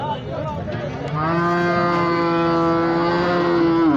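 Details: Holstein Friesian cow at a cattle market in Sangola, India, gives one long, loud, steady moo lasting about three seconds, rich in harmonics, with men talking about milk yield and price before and after.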